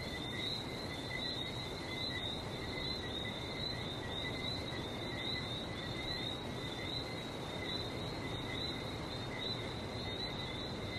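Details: Night-like chorus of frogs in Barbados beside the sea, dense overlapping high whistled notes forming two steady pitch layers, set against constant broadband surf noise.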